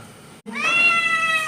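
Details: Pet cat at home, one of several cats being chatted with by its owners, gives a single drawn-out meow, a clear harmonic tone holding steady for about a second after a brief pause; quiet room noise behind.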